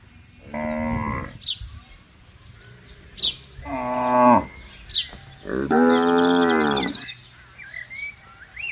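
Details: Cows grazing freely on a wide green pasture alongside buffaloes: three drawn-out, rich harmonic moos about one second long, spaced a couple of seconds apart, with short high bird chirps between them.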